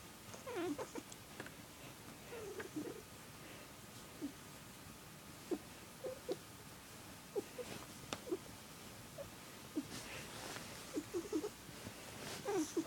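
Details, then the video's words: Squirrel, a male house cat, makes his odd warbling purr, heard only around one family member; brief scattered chirrups and trills are spread across a quiet background, with a few soft clicks. "Weirdest cat purr ever"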